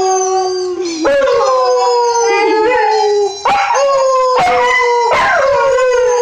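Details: Eli, a white Husky aged five months, howling: long wavering tonal howls that dip, break off with yelping catches and restart, three to four phrases in quick succession, loud and close.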